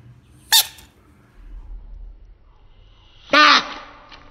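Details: A frog screaming in two loud, harsh bursts: a short shriek near the start, then a longer, strained, harmonic scream about three seconds later, with quiet background between.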